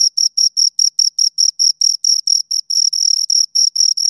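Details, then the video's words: Pair of crickets chirping close up, high tinkling pulses that begin evenly spaced and then blur into near-continuous trills as the two callers overlap, cutting off abruptly at the end. "Two Crickets Chirp Sounds"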